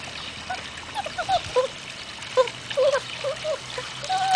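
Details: Hungarian Vizsla puppies of the de la Betoule line, 2012, at their first contact with water: short high whimpers and squeaky yelps in scattered bursts over steady trickling, splashing water.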